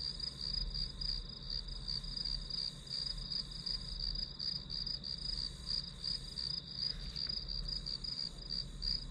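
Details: Steady high-pitched pulsing of grass insects, chirps repeating about three times a second with a slight shimmer above, low hum in the background.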